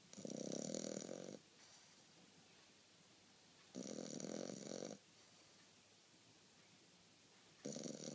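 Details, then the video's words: Sleeping French Bulldog giving loud, grating snores about a second long, spaced several seconds apart, with faint room hiss in between. "Zombie French bulldog snoring"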